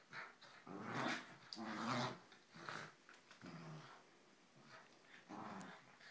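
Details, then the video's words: Two Corgis play fighting indoors; rough, throaty growls come in bursts about once a second, some with a harmonic edge, separated by short scuffling pauses. "Corgis Bailey and Nina play fighting"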